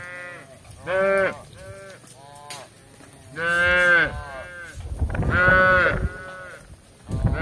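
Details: Tame cattle roaming a village in search of grass give short, strained lowing calls, three bursts spaced about two seconds apart, with faint background hiss between them.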